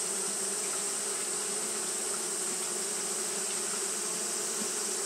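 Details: A steady hum of fanning Japanese honey bees on a hot day, a smooth continuous drone with a constant high-pitched hiss running throughout.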